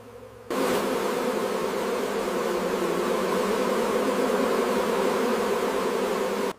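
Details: Swarming hum of honey bees during the harvest at a big honey production site; after a brief quieter start, a loud, even, unbroken drone of countless wings runs to the end.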